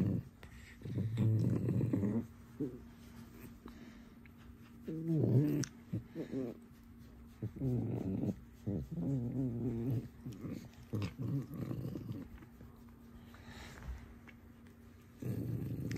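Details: Alice, a pet fox kept indoors, playing mischievously: repeated short bursts of low, throaty growling and whining vocalizations, some with a tonal whine, separated by pauses, with a person talking to her in Russian between them.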